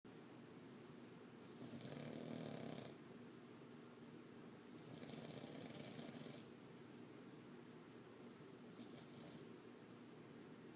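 A Boston Terrier snores in loud, rasping breaths, each lasting about a second with pauses between.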